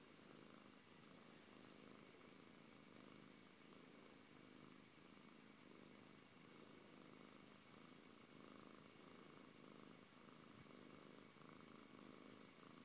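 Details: Siberian cat named Antey purring steadily and close, a low continuous rumble that swells and eases with each breath roughly every second, in a quiet indoor setting.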